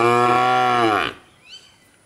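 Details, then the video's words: A bull gives one deep, rich moo lasting about a second that sags in pitch at the end, followed by faint high chirps. "Goat Bull Rooster Dog Bird sounds"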